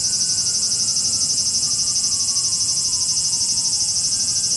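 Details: A chorus of cicadas in Japan makes an unbroken, piercing high buzz with a fast, regular pulse, while a faint thin tone slides slowly downward in the background.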